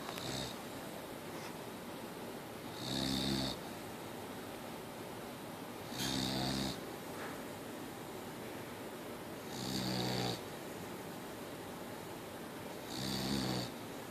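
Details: Mia the Boxer dog asleep and snoring, four evenly spaced rough snores about every three seconds, each a buzzy harmonic rumble topped with hiss, over a steady background hum.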